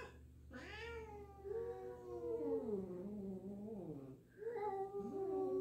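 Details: Two domestic cats meeting indoors, an established black cat unsure of a new black-and-white cat; long drawn-out wavering meows, one sliding down then rising, followed by a shorter rising-falling meow.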